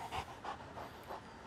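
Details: Beanie, a female English Mastiff in off-leash obedience training in Tampa, panting in soft rhythmic breaths about every third of a second between commands.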